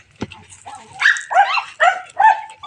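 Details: A pet cat, one of several in a household, at feeding time: a sharp knock, faint background, then four fairly loud, tonal meows in quick succession, the last one flatter and more drawn out.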